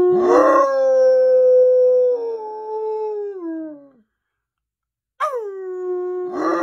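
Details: A bloodhound, a high-energy dog howling when excited, opens with a rough burst, then sustains a long clear howl that sinks slowly in pitch over four seconds, falls silent, and starts again with a sharp falling cry.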